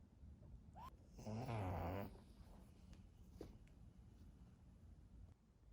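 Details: Pekingese dog indoors giving one loud, buzzy, rattling snort-like burst lasting under a second, followed by quiet breathing and a few faint clicks.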